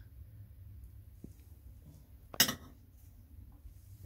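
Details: A quiet indoor room with a low hum, a faint tap and one sharp clink of dishware; no animal calls.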